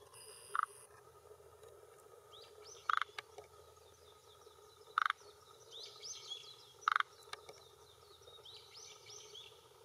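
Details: Male forest green tree frog calling with throat vocal sac at a hillside pond shore in Japan, early June 2021, late afternoon, claiming territory and attracting females: four short rattling croaks about two seconds apart; birds twitter softly behind.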